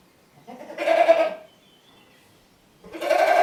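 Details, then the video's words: Two drawn-out, tremulous goat bleats, the first lasting nearly a second, separated by a short silence. "Funny Goat Sounds"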